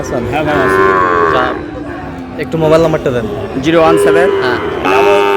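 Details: Sahiwal bull calves at a cattle market, purchased by a Noakhali farmer, 27/7/26. Three loud moos: a sustained opening low of about a second, a shorter one near the middle, and a final one cut off at the end, with speech in gaps.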